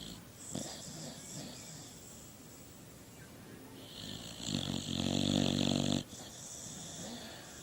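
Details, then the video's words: A sleeping dog snores in a rasping, wheezy rhythm, one long harmonic-rich snore swelling loudly near the end before breaking off, with quieter breathy snores before it. "Funny Snoring Dog Compilation 2018"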